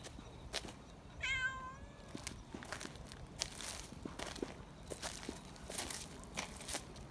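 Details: A young community cat, excited at being held, lets out one loud, shrill screeching meow lasting under a second, rising then sliding down, followed by clicks, rustles and handling noise.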